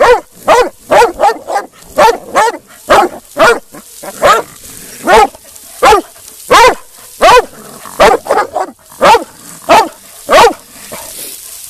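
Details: A female Black and Tan Coonhound, almost 2 years old and in UKC show training, gives a run of loud, ringing bays, one every second or so.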